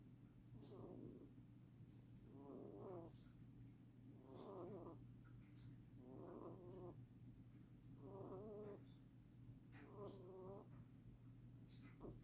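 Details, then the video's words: Rabbit snoring: soft, raspy, breathy bursts repeat about every two seconds, six in all, over a steady low hum. "rabbit snoring"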